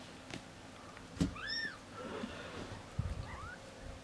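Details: Indoors, tiny Siberian kittens aged 1.5 weeks are tended by a nanny cat while the mother rests. They make a couple of short arching squeaky mews over soft rustling and handling thumps.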